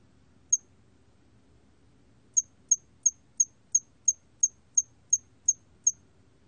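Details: Hairy cricket from a 2020 National Institute of Biological Resources recording gives one high, clipped chirp, falls silent almost two seconds, then repeats ten bright, evenly timed chirps roughly three each second; only faint low background rumble beneath.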